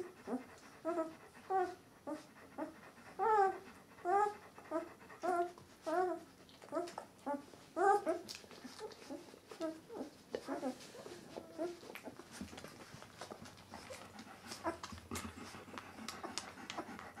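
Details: White Swiss Shepherd puppies of Donja's C litter, eleven days old, give a run of short, arched, squeaky whimpers roughly every half second for about nine seconds, then quieter rustling and faint squeaks.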